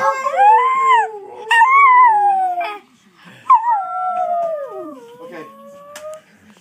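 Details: A pet Chinese Crested dog serenading its owners with a song of drawn-out howls: two rising-then-falling wails, followed by a longer one that slides downward and trails away, with quiet pauses in between.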